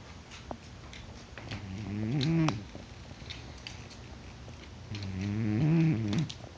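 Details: Pet cat in deep sleep, not waking despite being poked, snores: two slow, low rasping breaths several seconds apart, each swelling and bending in pitch, over steady background hiss.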